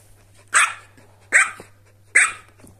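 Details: Dog barking while a corgi and a silky terrier fight over toys: three sharp, loud barks spaced about 0.8 seconds apart, each with a quick onset and fading tail, over a faint steady low hum.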